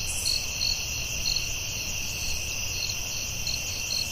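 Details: Crickets calling at night in the forest: a steady high ringing trill underlies short bright chirps repeated about twice a second, over a faint low rumble.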